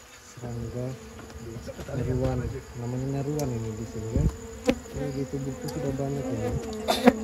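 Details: Close, loud droning of honey bees during an amateur honey harvest from their nest: a rich buzzy hum that swells and bends in pitch as bees circle near, with a few sharp clicks and taps.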